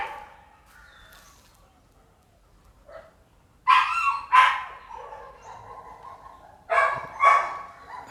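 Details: Red-nose American Pit Bull Terrier, a mother with her puppies: after several quiet seconds, two short bursts of deep, hoarse barking, each pair of barks close together, separated by about three seconds of faint background noise.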